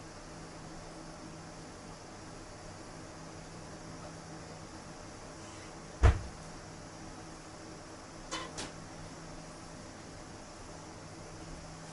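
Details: Quiet indoor hum broken by one sharp knock and two soft clicks, as from a cupboard or door, with no animal voice.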